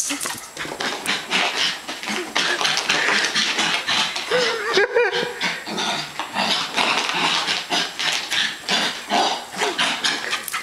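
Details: Westie named Zoey romping with her owner: a long run of harsh, breathy snorting and huffing, a short whiny tonal note in the middle, then more steady noisy puffs throughout.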